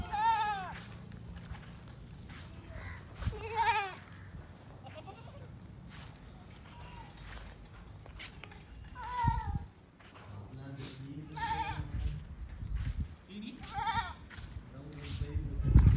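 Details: Goats on a farm repeatedly bleating, with about five loud, wavering, nasal calls spaced a few seconds apart, over steady low background rumble and occasional knocks.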